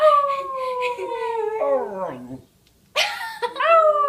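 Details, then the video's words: Dog howling at a police siren: a long gently falling wail that drops sharply and breaks off, a short silence, then a new rising howl; low background hum throughout. "police siren howl"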